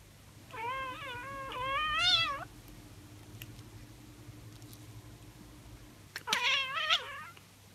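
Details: A tabby cat chattering and chirping makes short runs of warbling, chirrupy calls that rise and dip in pitch; after a quiet stretch, a final sharp chirp and trill follow over a faint low hum.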